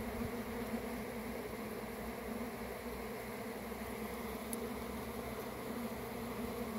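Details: Honey bee swarm: a dense, steady droning hum with a low humming core, unbroken and even in loudness throughout, with no other clear sounds.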